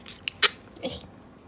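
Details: Pet female sable-coloured ferret named Choco, small, sneezing repeatedly without warning while up to mischief indoors; two sharp, short, broadband bursts, the second louder, followed by a faint softer snuffle, with quiet room background.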